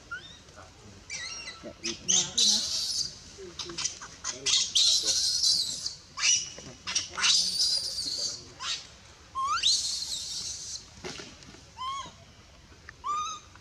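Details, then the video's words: Baby female monkey in the Bayon area crying as her mother pushes her away and refuses her milk; shrill, high squeals and harsh screeches come in bursts, some sliding sharply up, with a short rising squeak near the end. "Super sad baby monkey is crying when her mom is try pushing her out for reject milk"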